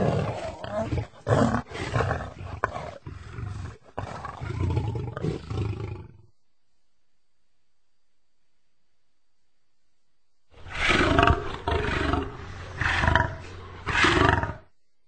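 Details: Lion giving loud, harsh roaring grunts in rapid bursts for six seconds, a long silent gap, then another strong series of rasping roars with broad, noisy tone.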